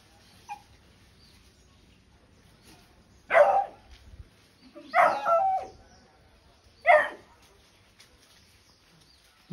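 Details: Leo the Beagle barking on a first visit to a monkey: three loud, harsh barks spaced about two seconds apart, the middle one doubled into a quick pair, with quiet in between.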